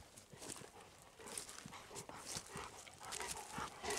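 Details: Golden Retriever Kohaku walking through still, nearly windless woods in a season without bird or cicada calls; quick, rough, steam-engine-like huffing breaths repeat several times a second, mixed with footsteps on the forest floor.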